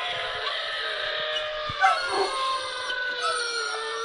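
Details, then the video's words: Anubis, a pet Dobermann straining to howl, gives a sustained, slightly wavering high howl that slowly drifts lower, with small cracks and breaks in the voice and light background noise. "Doberman Howl"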